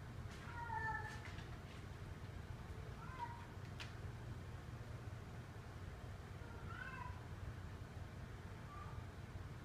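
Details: Odd meows from a female house cat while no one watches her: a cluster of short, warbling mews at the start, two more near the middle, then a faint final one, over steady low rumble and occasional clicks.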